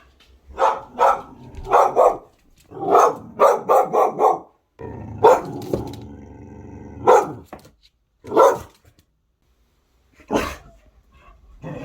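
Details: A one-year-old female pit bull mix, having just discovered a ceiling fan, barks at it in loud, sharp bursts, often doubled, with brief pauses between.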